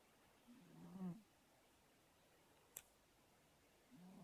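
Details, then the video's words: Fat house cat asleep and snoring. One low, fluttering breath sounds, then a faint click, and another snore begins at the end. "Snoring cat"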